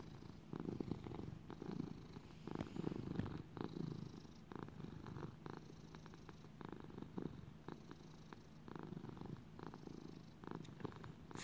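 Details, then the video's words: Purring from Little buddy, a pet lap cat, content indoors; long low rumble pulsing in regular waves with in and out breaths, even loudness, no other clear sounds. "Little buddy purring in 4k video. He was raised as a lap cat."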